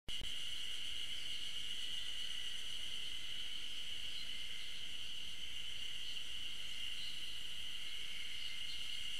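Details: Ezo spring cicadas fill the air with a steady, high, ringing drone from many singers at once, heard but unseen along a forest trail at Tokyo University of Agriculture's Okhotsk campus, Hokkaido, 15 June 2012.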